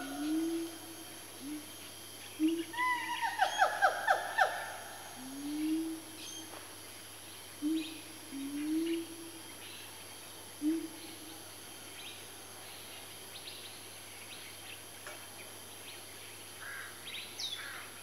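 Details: A family of four Siamangs, swinging around, build their calls into a frenzy: low rising whoops repeated steadily, broken by a burst of loud, rapid, shrill barking notes.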